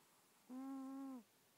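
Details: Bubbles, a female cat deep in sleep, recorded on an iPhone held to her face: a single steady, tonal snore lasting under a second, a low hum with clear overtones, rising slightly and then fading.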